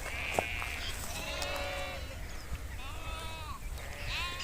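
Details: Nomadic flock of sheep grazing outdoors in Kashmir: several overlapping bleats, some quavering and drawn out, others short and rising, over steady low background noise.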